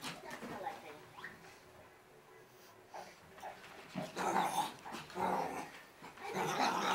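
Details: Six-month-old female Shih Tzu in hyper mode during her daily crazy run in circles, giving short sharp barks and yips that grow louder and more frequent toward the end, with scuffling in between.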